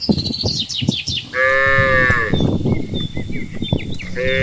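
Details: Herd of cows led home after grazing in the countryside; one rising-then-steady harmonic moo of about a second, a shorter moo at the end, amid clattering hoof-like noise and chirping birds.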